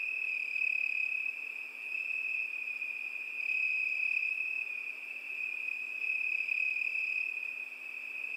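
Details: A cricket trills without a break at a single high pitch, growing louder and softer in gentle waves over a calm, otherwise silent night-like backdrop.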